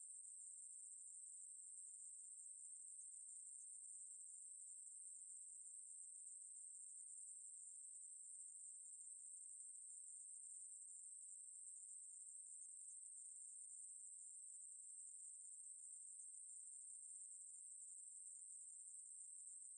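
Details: Continuous shrill buzzing of a Ruspolia katydid, from the National Institute of Biological Resources, 2020. The high, even drone runs uninterrupted for about twenty seconds and never changes pitch. Nothing else can be heard.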